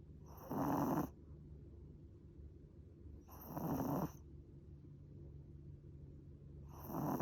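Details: Chihuahua Mozuku fast asleep on a person's lap, snoring loudly: three long, gravelly snore breaths spaced about three seconds apart, with soft hush between them.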